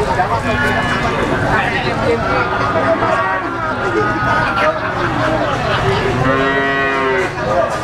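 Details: Black Pegon cattle at the bustling Blitar livestock market, East Java, on Legi market day. Steady crowd murmur and talk, then a clear drawn-out moo with rich stacked harmonics near the end.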